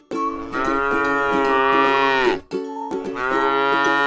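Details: A tame cow feeding on grass in a rice field lets out one long, rich moo lasting over two seconds, then begins a second after a brief break, steady tones in the background.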